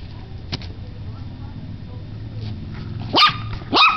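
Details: Bella, a 10-week-old Yorkie Corgi mix puppy adopted two days earlier, finding her voice: two short, high, yappy barks near the end, each rising sharply, over a low steady rumble.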